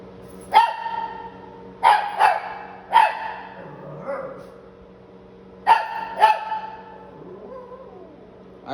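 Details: Shih Tzu puppy in a San Antonio, Texas home, barking in short bursts, single and paired yaps spread across several seconds, with a person talking quietly in between and a low constant hum.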